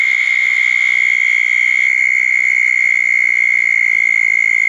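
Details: A wet June night at two small ponds after a thunderstorm, where southern toads keep up a continuous, even, high-pitched trill; a higher buzzing fades out after about two seconds.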